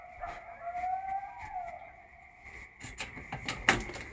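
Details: Coyote on a forested rural peninsula by the water on Puget Sound in the Pacific Northwest, giving one wavering, drawn-out howl that rises then falls over about a second and a half, followed by sharp clicks and taps against steady background hiss.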